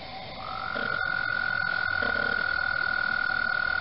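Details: Frogs calling in spring at Mt Gretna during the mating season, their calls rippling the water; a steady, ringing high trill begins after a half-second and then holds unbroken, with a few faint mechanical camera clicks early on.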